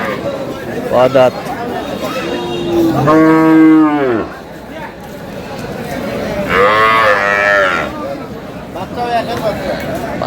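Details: Dairy cows and calves of improved milking breeds at Aftabganj cattle market, Dinajpur, Bangladesh: two long harmonic moos, the first arching and falling, the second strong and wavering, with shorter calls and market voices around them.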